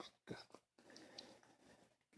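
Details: A puppy named Lola lets out a short, abrupt burp: a sharp broadband burst near the start and a quick second burst, then softer low murmuring noise until the end.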